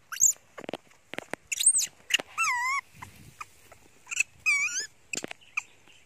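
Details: Janny, a young pet monkey crying loudly while hungry for her mother and covering her face with a towel; shrill wavering squeals with warbling pitch, repeated in short bursts between faint clicks and rustles.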